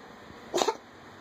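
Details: Domestic cat bringing up a hairball: one short, harsh, broadband retching burst lasting about a quarter second against a quiet indoor background.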